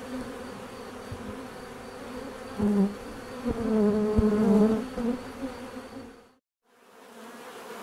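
Bees buzz steadily, a low droning hum that swells and fades as insects pass close.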